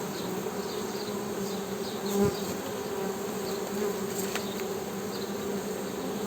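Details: Continuous low buzzing hum of honey bees holding an even pitch throughout, one dull thump a little past two seconds, faint high chirping far off.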